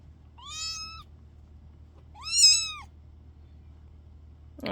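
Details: Kitten whose sister is wandering and tumbling about. Two separate high-pitched meows about two seconds apart, each arching up and then sliding down. A sharp brief noise comes at the very end.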